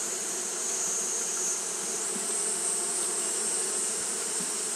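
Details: Japanese honey bees fanning continuously on a hot day: a steady, low droning hum with layered tones, unbroken throughout, over a constant high-pitched hiss.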